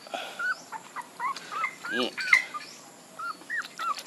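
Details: Puppies give a run of short, high, bent whimpering squeaks, about two each second, with a brief louder buzzy burst near the middle and quiet background.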